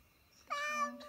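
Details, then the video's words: A pet cat lets out a single short, rich harmonic meow that holds steady then fades, indoors in a small room. "Funny Cats And Kittens Meowing"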